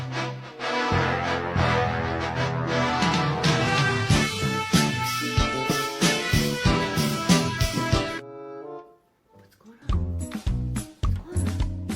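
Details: Upbeat brass-led theme music plays loudly, drops out briefly near the ninth second, then resumes with punchy beats; no animal sound is heard.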